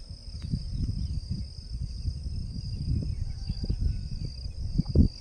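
A cicada's steady, high-pitched buzz drones on without a break over low rumbling noise.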